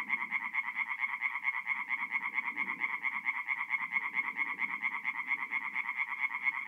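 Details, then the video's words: Tree frogs chorusing at night at a forest pond in North-East Italy during mid-April; fast, evenly pulsed nasal croaks overlap continuously, with a quieter low rumbling of further frogs in the background. "relaxing forest pond by night with singing tree frogs"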